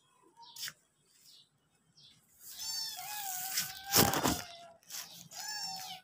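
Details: Hungry house cats and kittens making their way to the kitchen give a few drawn-out meows, one long sliding cry in the middle, beside a sharp tearing or rustling noise and brief quiet gaps.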